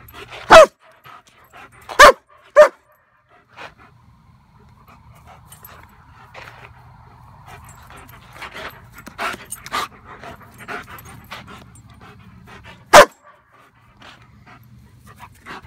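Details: German Shepherd going after a flashlight barks three times in quick succession at the start. After a long stretch of quieter panting and shuffling, one more sharp bark comes near the end.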